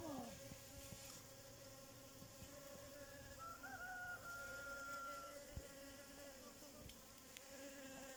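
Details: Bee buzzing in a steady low drone with layered overtones throughout, the hum swelling slightly midway; a thin sustained whistled tone appears briefly in the middle.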